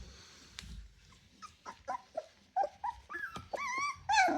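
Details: A litter of ten Rottweiler puppies, 24 days old, indoors: a run of short whiny whimpers and yelps that climb into rising, wavering squeals toward the end, with soft rustling between calls.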